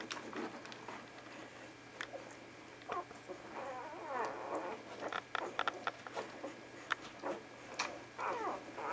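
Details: Vizsla pups at Batai in January 2013 keep up a busy run of short, chirping squeaks and thin whimpers, some bending up and down in pitch, mixed with clicks and rustling throughout.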